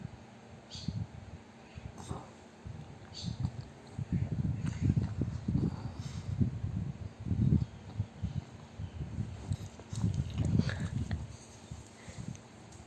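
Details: A fat pug sleeps and snores very loudly, deep gravelly snore bursts building after a quieter start and recurring every second or so, with snuffling catches between breaths.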